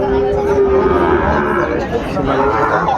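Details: At Ambari livestock market in Dinajpur, Bangladesh, a young Sahiwal bull calf offered for sale gives one sustained, even, low moo lasting about a second, amid constant chatter from buyers and sellers.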